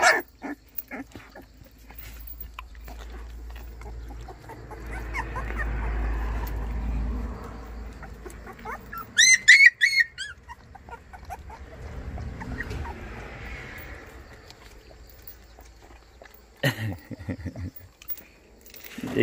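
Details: Young white Baekgu puppies in Cheongdo, Korea, waking in the morning, described as greeting. Brief bursts of high, rising whimpers and yips near the middle, with rustling, low rumble and occasional human voices around.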